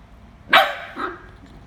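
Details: Jarvid, a pet corgi, barks while fighting with a chicken: one short, sharp, loud bark, then a fainter, lower yelp about half a second later, over a quiet indoor background.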